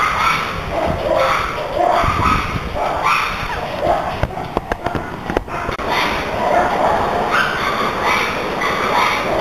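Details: A red panda, subdued after a recent move and attacked by another red panda, screams while fleeing: a harsh, squealing distress cry repeated about once a second. Recorded in 2010.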